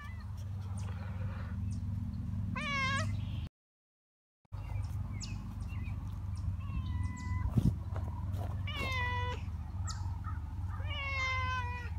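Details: Stray cats being fed and befriended meow repeatedly, rising-then-falling cries several times in a row, with a brief silent gap partway and a constant low hum underneath.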